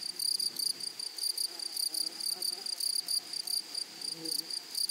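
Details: Grasshoppers in a flowery meadow or prairie produce high, dry buzzy chirps. The chirps come in short pulsed bursts, several each second, with quieter gaps between groups and a faint rustle underneath.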